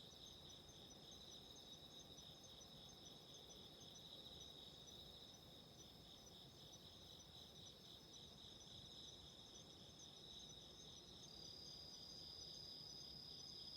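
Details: Autumn insects heard through a steady broadband hiss: continuous high shimmering trills with a faint pulsing rhythm, fairly quiet and partly masked by noise.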